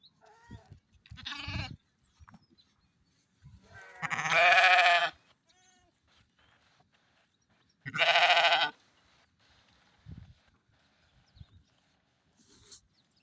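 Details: Mother sheep bleating on a farm: two loud, harsh, wavering bleats about four seconds apart, each near a second long, with softer shorter bleats and small farmyard noises between.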